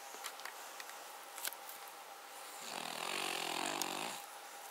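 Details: Cavalier King Charles Spaniel named Paca snoring roughly: one long rasping, harmonic-rich snore swelling for about a second and a half after a stretch of faint clicks and quiet room hiss.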